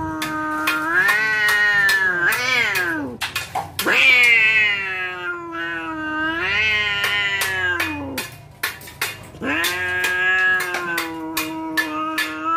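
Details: Cats poised to brawl trade long warbling yowls that swell and sag in pitch, broken by sharp clicking knocks and brief pauses.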